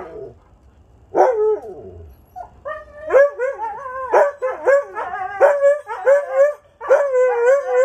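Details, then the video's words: Sunday hangout of huskies Haven, Sam and Storm plus a friend: a sliding yelp, then a run of short repeated woo-like howled barks with wobbling pitch, about two per second, ending in a sustained howl. "Husky Howling Session"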